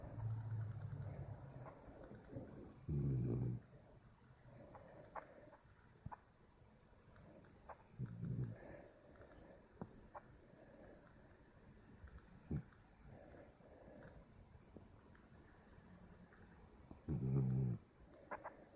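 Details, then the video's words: Puppy snoring while asleep: low, rumbling snores about every four to five seconds, with faint soft clicks and rustles in the quiet between them. "Snoring puppy"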